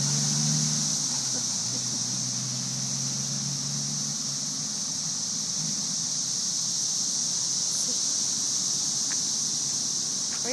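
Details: Cicada invasion of May 2011, thousands sitting in the trees: an even, high sizzling hiss fills every second without pause, a faint low hum and a few soft clicks underneath.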